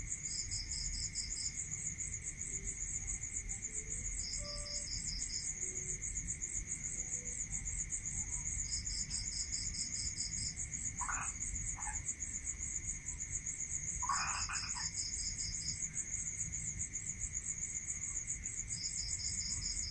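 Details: Crickets at night in a rural area: a dense, unbroken high pulsed chirring runs throughout, while a second, slightly lower beaded trill breaks in for about a second every four to five seconds over a steady thin whine; a few brief faint calls around the middle.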